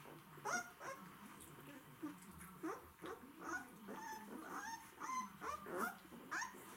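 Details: White Swiss Shepherd dogs, described as hungry, giving a quick series of high, squeaky whines and whimpers, some rising then falling, several overlapping with short gaps, over a faint low background hum.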